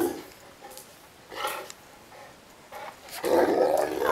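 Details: Neapolitan Mastiff named Ovelix, complaining and wanting to play: a short low moan opens, a harsher bark-like outburst comes near one and a half seconds, then a long rough growling grumble closes the last second.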